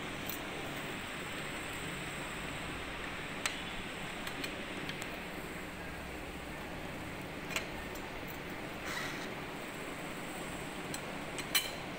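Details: Steady hiss of room or fan noise with a few faint clicks and taps, and no animal calls.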